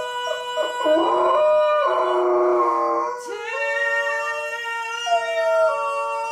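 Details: Golden retriever joining its owner's rendition of "Climb Every Mountain": continuous, strong howling whose pitch wavers and bends, with voices blending together throughout.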